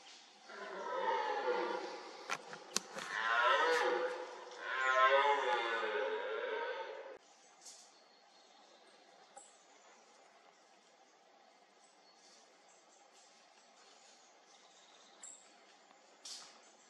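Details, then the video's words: Red deer stag roaring during the rut on a marsh, 17 September 2024, in a compilation of bulls recorded on one day; two long, harsh, hoarse roars with rich harmonics, then quiet with faint bird chirps and distant clicks. "Wypad na rykowisko na bagna"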